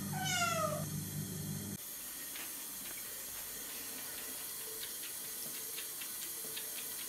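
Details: Semi-feral kitten Chloe, roughly three months old, exploring running water in a bathroom sink, November 2014: a single clear, sliding meow at the start, then tap water and light clicking and tapping sounds.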